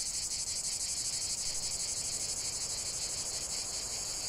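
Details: Cicada song from a continuous nature relaxation recording: many insects producing a loud, shrill, rapidly pulsing drone without pause.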